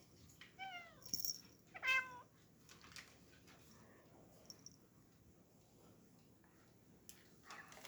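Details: Black pet cat meowing in a quiet room: two short harmonic meows in quick succession around the first and second seconds, the first bending downward, followed by faint clicks and rustling.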